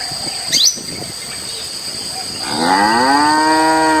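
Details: A feral cow at the prairie's forest edge gives one long, rich moo that rises and then holds steady, after a brief bird chirp, over a steady high insect whine.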